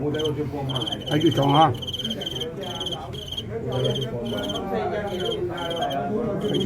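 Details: Fighting crickets filmed live, giving high, sharp chirps in short pulsed bursts repeated about every half second, under steady Cantonese men's talk close by.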